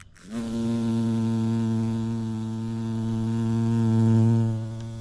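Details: Bumblebee visiting a vibrant yellow orchid, filmed in natural light: a loud, steady low buzz rises in at the start and holds an even hum for about five seconds, swelling slightly near the end before easing off.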